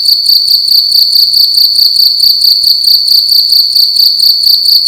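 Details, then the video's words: A cricket sounding off loudly inside a room at night, its shrill, steady trill broken into rapid rhythmic pulses at one high pitch. "Cricket making loud sounds at night in a room"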